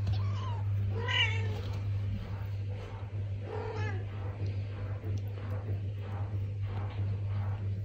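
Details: Traditional Siamese (Thai) cats indoors in the Netherlands, a mother cat talking to her kitten at its first litter box; a few short, soft meows with faint chirps, over a steady low hum.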